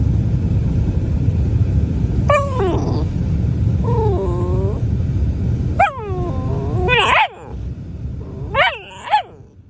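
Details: Grumpy Rottweiler puppy giving a series of short, descending, whiny yelps, spaced a second or two apart, over a steady low rumbling growl that fades in the second half.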